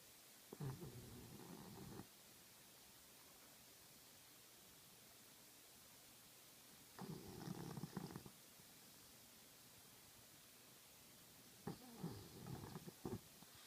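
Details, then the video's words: French Bulldog snoring loudly while asleep: three rough, rattling snores roughly every five seconds, each lasting over a second, separated by quiet breathing against a steady background hiss. "The Snoring French Bulldog"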